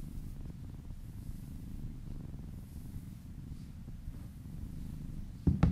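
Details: Contented cat purring under a gentle massage, a continuous low vibrating rumble ending with a short louder bump of handling noise.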